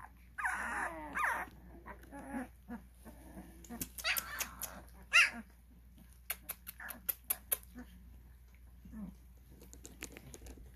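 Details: Twelve-day-old Cane Corso puppies indoors: a few high, wavering whimpers early on, then scattered short squeaks and clicks over a low steady hum, with a person speaking briefly.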